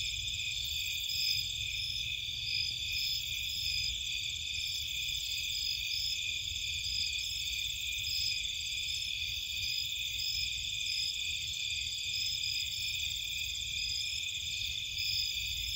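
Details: Crickets and other insects calling at night in a Cape Cod marshland: a dense, unbroken high trilling chorus of several steady shimmering bands, some pulsing faintly, over a low constant hum.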